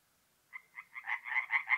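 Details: Tree frogs at a forest pond in north-east Italy on an April night; after half a second of silence, rapid pulsed croaks begin, growing from single notes into a dense rattling chorus.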